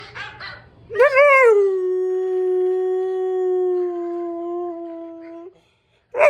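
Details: German Shepherd howling in response to hearing dogs barking: a few faint barks first, then one long steady howl sustained for about four and a half seconds, holding a level tone with rich harmonics before breaking off.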